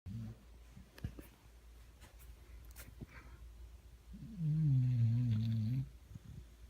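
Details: A 3-year-old female basset hound asleep and snoring indoors: after quiet breathing, one loud, low, rumbling snore lasts about a second and a half near the end, with faint room noise throughout.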